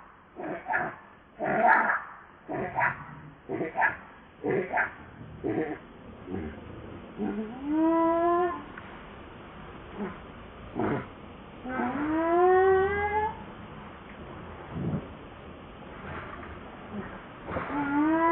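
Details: Hungry baby monkey crying and begging its mother for milk: drawn-out harmonic wails that rise then bend down, heard around 8, 12.5 and 18 seconds, set among bursts of short broadband rustling and clicking noise.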